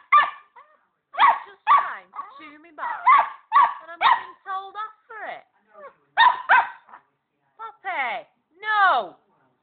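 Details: Young female Border Collie yaps excitedly at an unbothered pet hamster, with dense overlapping high yaps mixed with whines and squeals, ending in long drawn whimpers.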